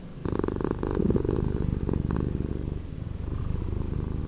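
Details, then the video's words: Slowed-down purring from a cat: a steady, throbbing low drone of fast regular pulses, strongest early on and then holding an even level to the end. "Cat Purring"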